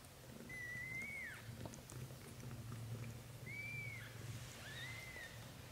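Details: Newborn-to-month-old British Shorthair kittens from a litter of four: three thin, high, whistle-like cries, each under a second and gently arching then dropping, spaced about two seconds apart over a soft low hum.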